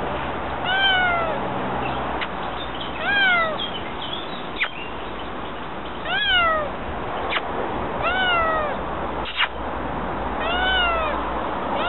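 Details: Domestic cats, more than one, meowing repeatedly: short harmonic calls that rise then fall, about five over twelve seconds, with a few sharp clicks and a steady low background hum; someone says the name Biggie afterward.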